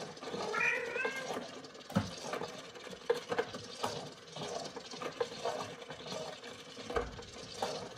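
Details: A female Bengal cat playing with her kittens lets out one brief, slightly wavering meow near the start, then only light knocks, taps and rustling movement in a small room.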